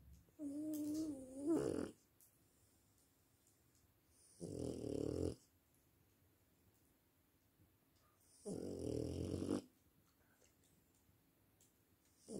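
A French bulldog snores in heavy, rattling bursts roughly every four seconds, with quiet breathing between them. The first snore carries a nasal, whistling tone over the rasp.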